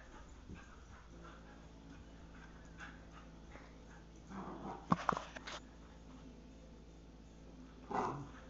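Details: Two Wheaten Terriers playing together inside a house; mostly quiet low rumbling, then a burst of scuffling, yips and thumps around the middle, and a brief whine or growl near the end.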